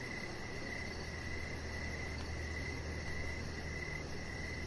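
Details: Evening crickets heard from a deck, giving a continuous mid-pitched trill broken into bursts of about a second, while a soft high-pitched pulsing runs steadily overhead and a low hum fills the background.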